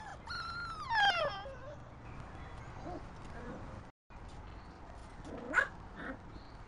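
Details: Cocker Spaniel giving a high, wavering whine that slides downward over about a second, followed by a short pause and a brief rising yelp-like whimper near the end, with a low background hum throughout.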